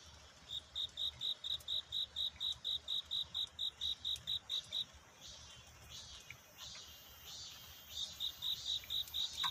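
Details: Night-time cricket courtship song at dawn, a love-seeking song. A run of even, high, ringing chirps about four per second breaks off midway, leaving a few seconds of soft hiss before the chirping resumes.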